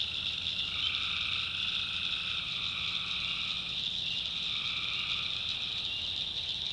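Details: North Carolina swamp at night filled with tree frogs: continuous piercing high trills overlap densely while a softer, lower calling band switches on and off in stretches of a few seconds.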